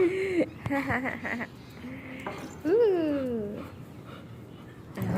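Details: Sheru, a pet German Shepherd, gives a high whimpering whine that rises and falls in one drawn-out arch, after a few short yelps, while a person talks to him in Gujarati in a small room.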